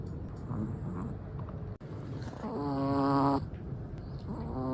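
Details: Chihuahua asleep, with one drawn-out, reedy, humming snore swelling for about a second amid rough, low breathing noise, then a fainter tonal snore starting at the end.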